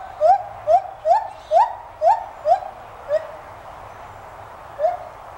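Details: White-handed gibbons at a college teaching zoo in Gainesville, Florida, calling: a series of short rising whoops repeated about twice a second, then a pause and one last whoop, with a low background hum.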